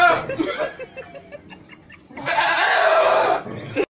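A goat gives a loud, harsh, bark-like call after some brief human chatter.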